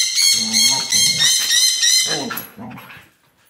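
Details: Playing on the couch, Siberian Husky Carma lets out a sustained, bright, harmonic howling whine over low throaty grumbles, trailing off into short grunts and quiet.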